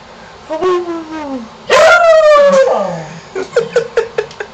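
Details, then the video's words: Shamus, a pet dog, howling at a neighborhood contractor while being encouraged: a falling whine, then a loud sustained howl sliding gently downward for about a second, followed by a quick run of short yips. "Shamus Howls"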